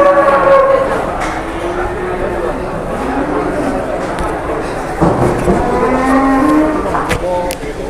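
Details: Cattle at the crowded Pasar Jelok livestock market in Boyolali, Indonesia, where a giant cow has arrived; long low harmonic moos in the first three seconds and again near the end, over constant market chatter and bustle.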